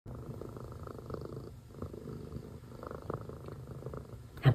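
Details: Domestic cat purring while watching birds and a squirrel: a low, steady rumbling purr with soft pulsing, a brief clatter at the end.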